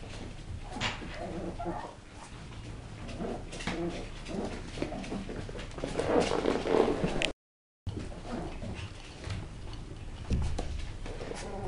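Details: West Highland White Terrier puppies giving short, high whimpers and yips, a brief whining cluster in the middle, over a busy background of rustling and handling noise.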